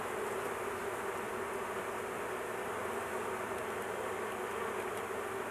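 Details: Steady, even drone of honey bees at a big hive being worked on while their queen sits in a cage for protection; a dense low hum with no breaks, continuous throughout.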